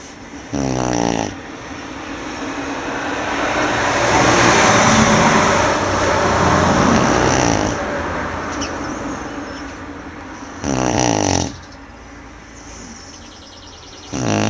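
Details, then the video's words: Tibetan Mastiff (do-khyi) named Manjurhi snoring while asleep: rasping snore bursts with stacked harmonics near the start, again around eleven seconds and at the very end, separated by a long rushing noise that swells and fades like passing traffic. "do-khyi ronflement de Manjurhi"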